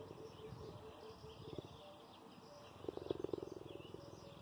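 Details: Cheetah purring with affection toward its owner: a soft, continuous low rumble made of rapid, even pulses, swelling into a louder, tighter burst of throbbing pulses near the end.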